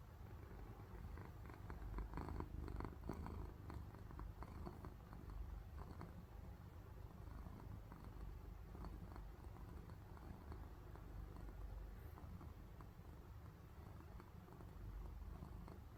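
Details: Sleeping pet cat purring, a deep, even rumble sustained throughout with faint soft crackles, likened to snoring.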